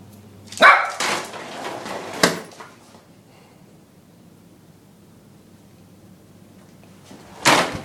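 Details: Lhasa Apso x Maltese pup of ten months confronting a vacuum cleaner indoors, recorded on an iPod: a sharp bark and a short follow-up, a pause, then another loud bark, against the vacuum's steady hum.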